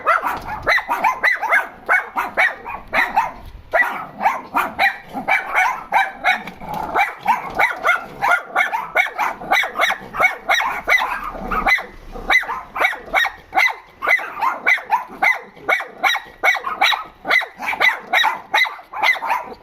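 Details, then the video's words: Several dogs complaining about something, giving a dense, unbroken chorus of sharp, overlapping barks and yips that pulse rapidly for the whole stretch with hardly a pause. "Dogs complaining about something"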